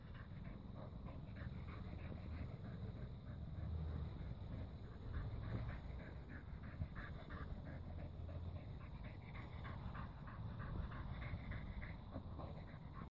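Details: A blue female Staffordshire Bull Terrier pants after a walk in quick, breathy, rhythmic puffs over a low rumbling background.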